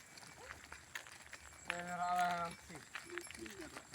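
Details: Tame cows returning to the barn in the afternoon while being herded in a village; one cow gives a brief, steady, nasal moo between bits of human chatter outdoors.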